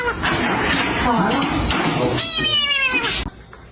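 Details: Domestic cat with a short, falling meow near the end, heard over human voices and household bustle that fill most of the recording before it goes quiet.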